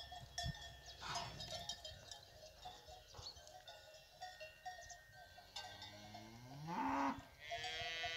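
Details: Fighting bull cows with their calves on a fighting-bull ranch; cowbells clank steadily throughout, then near the end one drawn-out, rising and falling harmonic low rings out over the bells.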